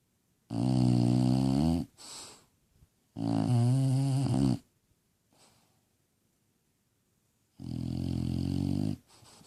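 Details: A sleeping bulldog snoring indoors: loud rasping, harmonic-rich snores lasting over a second each, with quieter breaths between, three big snores across the stretch.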